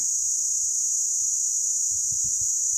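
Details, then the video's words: Well-camouflaged cicada at the Meerkat Magic Valley Reserve on a scorching December afternoon. A loud, shrill continuous buzz carries on unchanged, over faint low knocks toward the end. "SCREAMING BUGS - Cicada THE BUSH THERMOMETER"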